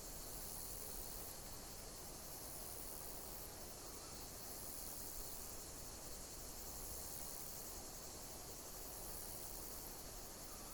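A high, thin insect chorus runs throughout, pulsing in slow waves roughly every two seconds. Beneath it lies a constant broad hiss of background noise with a low rumble.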